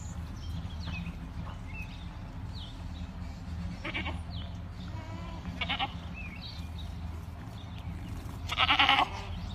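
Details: Farmed Boer goats bleat three times, with brief nasal cries spaced a couple of seconds apart and the last one loudest, against a constant low rumble and scattered thin chirping.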